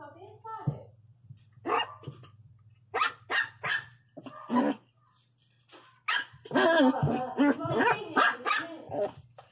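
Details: A feisty 60-day-old Miniature Pinscher puppy named Rex gives sharp, short barks in quick bursts, some clustered close together and others spaced apart, over a person talking and a steady low hum.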